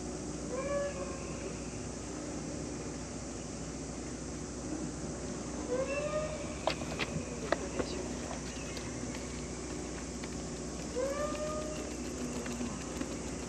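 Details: Cat meowing three times, well spaced, each a short arching tonal call with rich harmonics, rising then falling; soft background hum and a few sharp clicks or taps in between.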